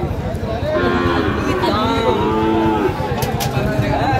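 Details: Sahiwal cattle at a livestock market in Madaripur, Bangladesh, on 28 March 2025, where bull calves are being bought; a low, drawn-out moo holds steady for about two seconds beneath men's bargaining voices and crowd chatter.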